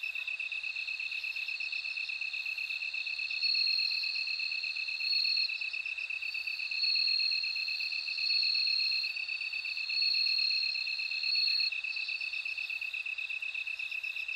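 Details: Ringing high-pitched trills of a bell cricket recur roughly every one and a half to two seconds, six bursts in all, above a continuous, evenly pulsed insect chorus.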